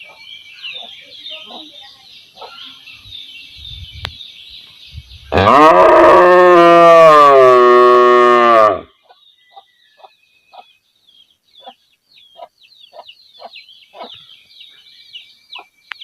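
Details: A village cow standing and calling her calf: one long, loud, harmonic moo of about three seconds, steady then falling slightly at the end, with chirping birds before and after.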